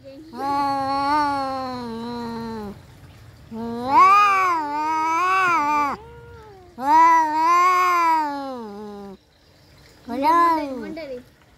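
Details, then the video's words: Domestic cats fighting, trading wavering, nasal yowls: three long howls of about two seconds, then a shorter final one, with pauses between them. "kucing berantem"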